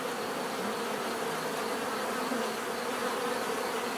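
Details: Bees humming in a natural setting, offered as a calming soundscape: an unbroken, even buzz from many insects, with short swelling tones of single bees flying nearby, and nothing else audible.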